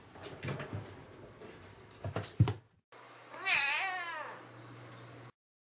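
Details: A pet cat that likes climbing into baskets gives one drawn-out meow that rises and then falls. It follows a few seconds of soft knocks and rustling indoors, with steady low hum in the background.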